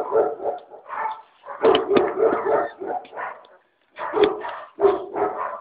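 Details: Five-week-old puppies yapping in quick irregular bursts, several shrill barks and yips running together over a few seconds, with a brief pause before the high yaps resume.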